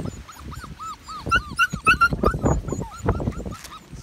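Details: Medium poodle puppies, recorded June 28, 2018, giving a rapid chorus of high, arched whimpers and squeaks, several pups overlapping, some calls rising and falling sharply, with soft rustling and shuffling underneath.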